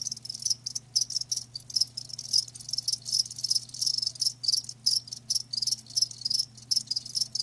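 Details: Several live crickets trilling in quick, high, rasping bursts, each lasting under a second with short silences between, backed by a quiet low electrical-sounding hum.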